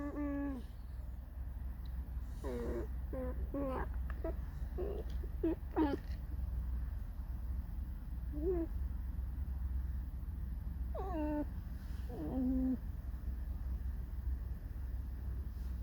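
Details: Alice the pet fox squeaks and sings mournfully inside a room. She gives a string of sharp, sweeping squeals with bright harmonics, several in quick succession early on, then two more bursts later, over steady low hum.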